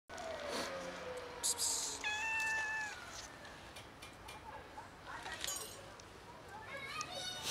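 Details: Grown kittens met by chance on a street, asking for food and then fighting over it: a drawn-out, slightly falling meow and a shorter harmonic mew, mixed with human talking nearby.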